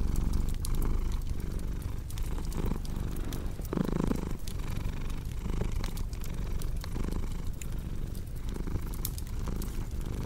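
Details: Domestic cat purring steadily, a low continuous rumble pulsing in slow breathing cycles under sharp, scattered crackles and pops from a wood fireplace.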